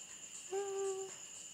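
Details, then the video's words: Emi, a female Rhodesian Ridgeback, gives one steady, level whine lasting about half a second, clear with a few overtones, over a constant high chirring of crickets. "Ridgeback dog එයාගේ හලි කෝලං"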